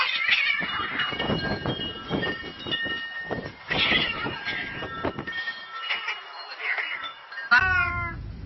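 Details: Domestic cats turning from friendly to fighting, with rough broken screeches and noisy scuffling bursts, a few short wavering harmonic wails, and a sharper rising cry near the end.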